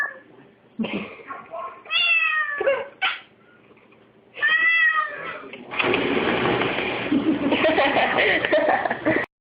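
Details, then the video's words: Kitten crying beside a dishwasher, eager to lick the dishes: several loud, drawn-out wailing meows with a person's remarks between them, followed by a steady rushing roar as the dishwasher starts up. "Kitten Crying Over Dishwasher"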